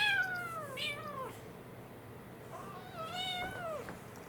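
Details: American Shorthair male and Munchkin female kittens, born April 2021, at play inside a home; two long descending harmonic meows, the first starting high and sliding down, the second a rising then falling cry after a short pause.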